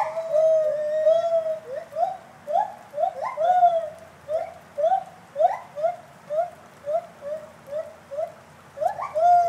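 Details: Captive gibbons at a college zoo in Gainesville, Florida, howling: a long steady hoot followed by a steady rhythm of short upward-swooping whoops repeated about twice per second, ending with another sustained note.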